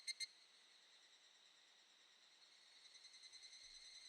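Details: Evening cicadas (Tanna japonensis) sing a thin, high ringing drone that swells into faint rapid pulsing, on a mid-July summer evening in the Shin'etsu mountains of Japan.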